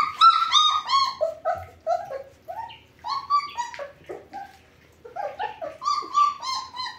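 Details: German Shepherd puppies whimpering and whining: a rapid run of high, harmonic-rich whines, each short and slightly falling, coming in bursts of several notes with brief pauses between groups, clear against a quiet background.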